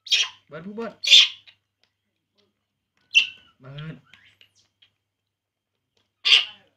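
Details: Baby monkey drinking milk lets out four loud, shrill squealing cries, separated by silences and short stretches of a person speaking Vietnamese.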